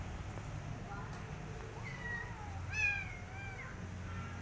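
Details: Rescued street kitten that wants to return outside and refuses food, giving a drawn-out meow that rises then falls, with a softer meow before it, over a steady low hum and faint background voices.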